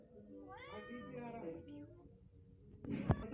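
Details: Cats fighting: a drawn-out, wavering yowl that rises and then slowly falls over about a second, rich in harmonics, followed by a sharp thump.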